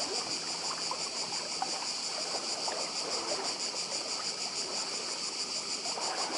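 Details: On Badija in Croatia, many cicadas merge into one sustained, sizzling high buzz with quick throbbing pulses; the soft roll of sea water forms a steady backdrop.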